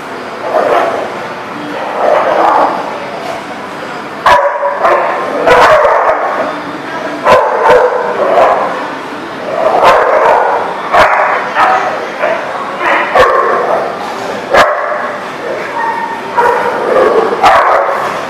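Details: Dogs barking in a repeated, irregular series of short, harsh bursts, several overlapping at times, with brief gaps between volleys across the whole recording.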